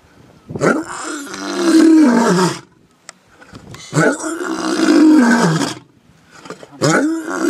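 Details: Lion roaring: two long, strained, throaty roars of about two seconds each, sliding downward, then a third starting as the recording ends, separated by short silent gaps.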